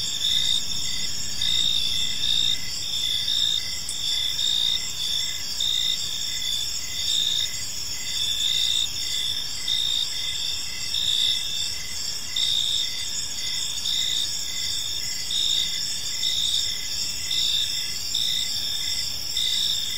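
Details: Gentle chirping of crickets in a peaceful park as evening falls, a dense, even high trill with rhythmic pulsing beats throughout and a quiet murmur of distant background noise beneath.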